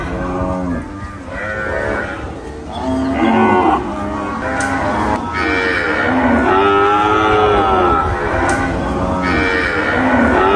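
Cows moo loudly, with long, drawn-out, rich calls that overlap one another.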